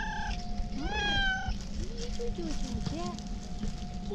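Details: Male cat with a white-tipped tail seeking affection, not food, gives one loud drawn-out meow followed by several short chirping mews, against a constant background hum and low rumble.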